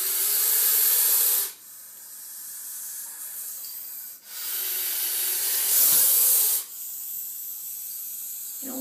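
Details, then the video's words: Captive gopher snake from a horse barn, four to five feet long, hissing while attacking a cat toy behind glass: long loud airy hisses in three bursts separated by short pauses as it breathes in, with a brief low thump near the end. "Gopher snake hisses and attacks cat toy"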